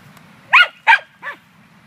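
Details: Female dog hunting squirrels at a dog run on 9 May 2013 gives two loud, abrupt barks followed by a softer, shorter third bark, with a low background rumble.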